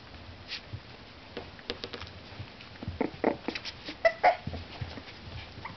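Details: Four-week-old purebred Miniature Schnauzer puppies, black and white parti-coloured, playing indoors give brief high yips and squeaks among scuffling, thumping noises.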